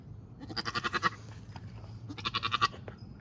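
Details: Maggie, a Nigerian Dwarf dairy doe giving birth to twins, her first kidding, in Northern California; two strained, vibrato bleats, each shaking in fast pulses, follow one another with a short pause between.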